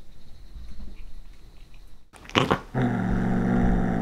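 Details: Female one-year-old tortoiseshell Munchkin cat, short-legged, indoors biting into cooked corn. After a quiet stretch and a sharp crunch, a steady low rumbling growl begins and continues to the end, with chewing noises mixed in.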